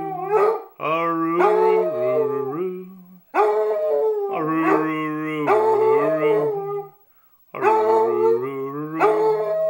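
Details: Female Basset Hound howling along while a person sings, breaking into song whenever the singing starts; long sustained wavering howls in phrases separated by short pauses, layered over a lower human singing voice.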